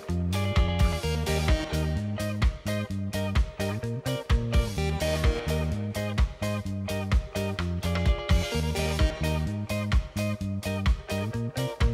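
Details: Upbeat plucked guitar music on a steady driving beat, with no animal sounds.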